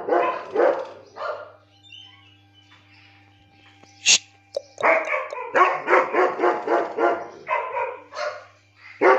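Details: German Shepherd, 17 months old, in Lucknow, barking in loud, rough bursts: a few barks, a quiet pause with one sharp click, then a rapid string of about ten irregular barks, over a low steady hum.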